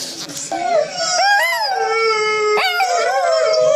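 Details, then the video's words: A female Yorkshire Terrier, howling along with a video at the computer, gives a thin, wavering howl with sliding pitch, broken by short whimpers. "Guaranteed to make your Dog howl to."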